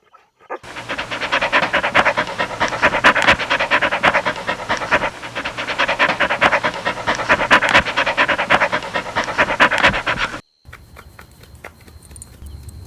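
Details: Golden Retriever puppies playing on a lush green lawn, heard as rapid, breathy, continuous panting that stops abruptly near the end, followed by quiet outdoor ambience and a faint pulsing high tone.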